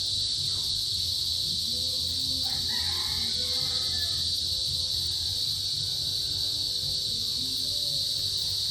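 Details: A small cicada species, out in the rainy season, fills the mid-afternoon with a steady, high, shimmering, synchronized buzz that never lets up; males make it to call females.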